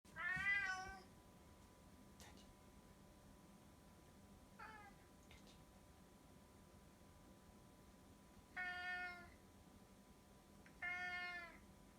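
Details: Tabby cat meowing affectionately, recorded in 2018: four drawn-out harmonic meows spread across twelve seconds, the second fainter and shorter, in a quiet indoor setting with a faint steady hum.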